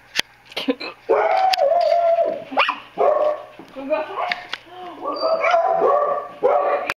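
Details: Dog fight indoors between a basset hound and a tiny 4-pound poodle, with drawn-out high whining and yelping cries in several bursts, sharp clicks, and a person calling to the dog.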